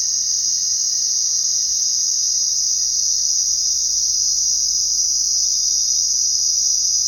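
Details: Unbroken, steady high-pitched cricket trilling at night fills the whole stretch, backed by a faint constant tone and a quiet low hum.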